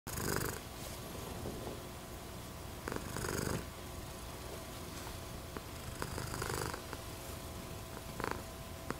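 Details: Domestic American Shorthair cat, a silver patched tabby, purring indoors: a low, steady rumbling purr that swells into louder breathy bursts about every three seconds, in and out with each breath.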